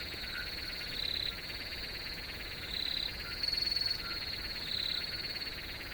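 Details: Crickets in a nature setting: a steady, high-pitched ringing trill runs throughout, with brighter, louder chirp bursts about every two seconds over a softer pulsed buzz.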